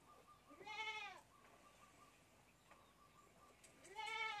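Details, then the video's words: Bottle-fed goat kid bleating twice, a strong quavering cry near the start and another at the end, with a faint steady tone and soft knocks in the pause between. "anak kambing || minum susu botol"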